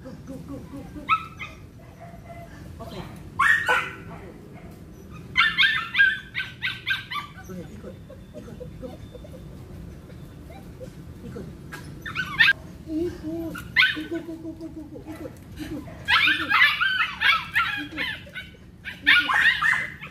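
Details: Belgian Malinois working through cone training, letting out bursts of sharp barking spread unevenly across the recording, heaviest in the middle and toward the end, with human speech between the bursts and a low background hum.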